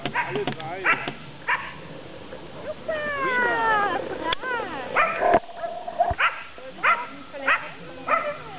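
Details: Three Taigan dogs at a coursing event, giving short yelping barks in quick irregular bursts, with a stretch of high whining, excited cries in the middle; voices and speech are mixed in.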